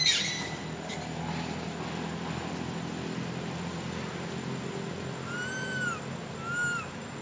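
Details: Baby monkey kept as a home pet, crying nonstop while its mother ignores it: two clear, drawn-out whining cries that rise then fall, near the end, after a brief noisy burst at the start, over a steady low background hum.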